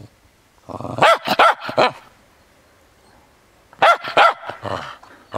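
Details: A frisky Cairn Terrier playing in the snow, giving two bursts of sharp, excited barks and yaps mixed with a low growl, each burst about a second long with a quiet pause between.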